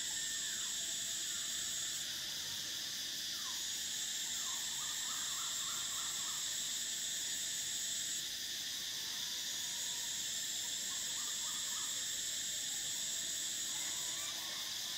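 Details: Cicadas singing in summer: a dense, shrill, continuous buzzing chorus whose highest band drops out and returns around 2 and 8 seconds, with short soft chirping notes from another caller scattered underneath.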